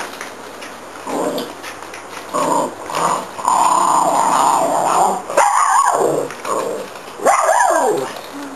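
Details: Santa and Minnie, pet dogs, playing with a Zig 'a' Zag ball. Rough, throaty growls come in bursts from the first second on, with a long sustained stretch mid-way, then two sharper bark-like outbursts near the end.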